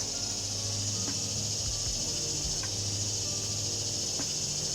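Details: Cicadas singing in the backyard of a Winter Garden, Florida property surrounded by huge old trees, with rain approaching; a steady, high, hissing drone runs throughout, with a few faint clicks and low rumbling beneath.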